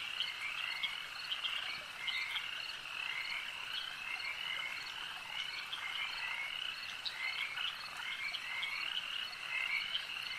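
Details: Frogs at a lake croaking together, a thick unbroken chorus of rapid rattles and chirps from many animals, with a few louder individual calls rising above the mass.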